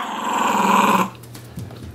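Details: Sonny, a puppy playing with his dolphin pillow pet toy, gives a rising, rasping growl lasting about a second, then falls quiet apart from faint rustling.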